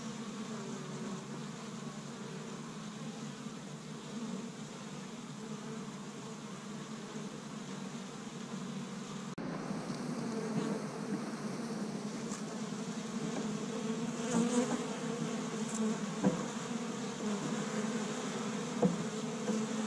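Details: Spring honey bee colony active at its hive in Michigan on a first warm day, foraging pollen from tree buds; continuous low buzzing swarm hum, a brief dip near the middle, then slightly louder with individual bees passing close.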